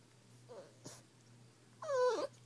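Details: A 6–7-week-old Old English Bulldog–pit bull mix puppy, a known 'talker', gives a drawn-out, whining yowl that slides downward.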